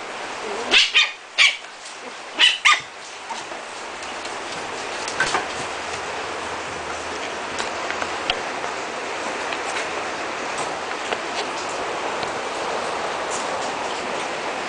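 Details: Chocolate (liver) and white Shih Tzu puppies born 19 April 2010 let out a quick run of sharp high yips in the first three seconds, then only faint squeaks over constant hiss.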